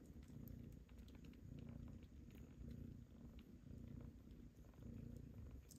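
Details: Mother cat with suckling kittens that are being weaned onto tasty pâté: a low, throbbing purr rising and falling in slow waves, accompanied by faint clicks and rustling.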